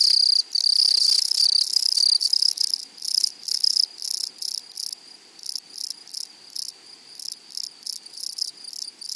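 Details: A loud, sustained, high, hissing rasp from meadow grasshoppers breaks into shorter bursts of about three per second that fade and then return.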